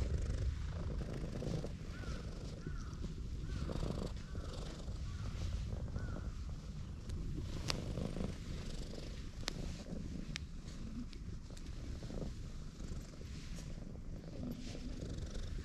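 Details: Affectionate tortoiseshell cat, a park stray, settled on the lap of someone sitting on a bench. It gives a steady, low rumbling purr throughout, with faint scattered clicks and rustles in the background.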